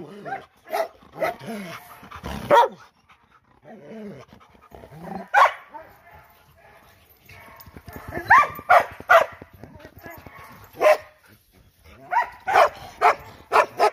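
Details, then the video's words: Loud dog barks in scattered bursts, some sharp single barks and quick doubles, with a spoken voice and a low rattling buzz in the gaps. "PERROS ladrando FUERTE"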